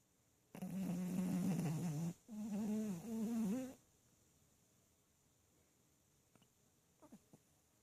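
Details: Snowy, a Maltese dog about six years old, sleeping deeply with eyes open: two long, low, droning snores of about one and a half seconds each, buzzy and steady with a slight waver, then quiet with a few faint clicks.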